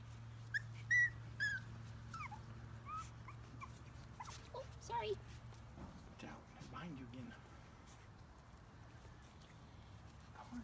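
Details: A few thin, high whines and squeaks from rescued chihuahua-mix puppies, six in the litter, come in the first seconds, then fade to softer scattered sounds over a constant low hum.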